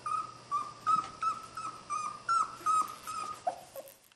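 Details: Wrestling puppies of Skar's litter, one repeating a short level high whine roughly every half second, ending with a couple of softer lower yips and then quiet.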